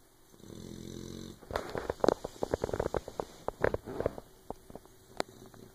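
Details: Sleeping puppy named Oberon snoring so loudly that another dog, Tyson, cannot sleep: a drawn-out, rasping, harmonic snore in the first second, then a run of crackly clicks and snuffling rustles.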